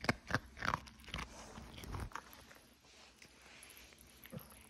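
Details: Pomeranian named Cookie chewing food, December: loud crunchy bites packed into the first two seconds, rapid irregular cracks and snaps, then quieter soft munching and a last small crunch toward the close.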